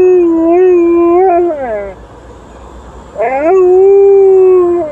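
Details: Liza the Alaskan Malamute howls at a passing ambulance and police car. A steady, level howl bends downward and fades, then after a short gap a new howl swoops up and holds a smooth, even pitch.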